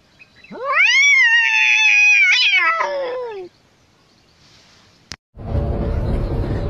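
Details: Pet cat giving one loud, sustained meow that rises, holds high and steady for about two seconds, then drops away, followed by silence and a burst of noisy background sound.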